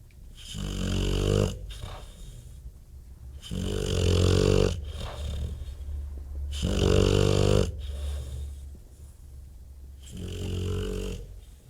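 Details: Bulldog snoring loudly, deep rasping rumbles with each breath, four long snores about three seconds apart separated by quieter wheezy inhalations.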